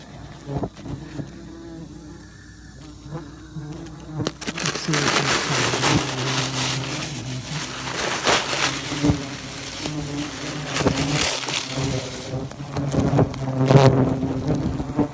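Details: Bald-faced hornets buzzing as pest control workers remove their nest from a house soffit in Great Neck, Long Island, New York; a steady low hum under loud rustling, scraping and handling noise through most of the recording.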